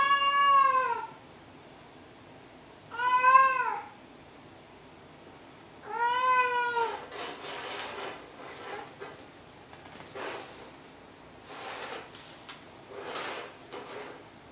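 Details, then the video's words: Maru the cat meowing indoors: three clear, drawn-out arching meows about three seconds apart, followed by softer scattered rustling and faint vocal sounds. "鳴くねこ３。 meow meow"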